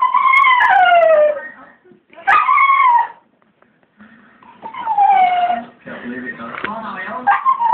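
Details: English springer spaniel howling at a bird in the garden: long, tonal, falling howls sliding downward, with a short rising yelp near the middle and further wavering howls toward the end.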